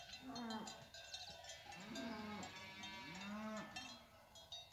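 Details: Cows with calves walking down from the hills; three short, wavering moos about one second apart, possibly from calves, set against a dense jingling of cowbells.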